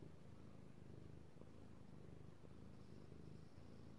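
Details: Domestic male cat purring contentedly under petting, recorded March 2018; close, low throbbing purr in short repeated breath phases, a few faint clicks of touch between them.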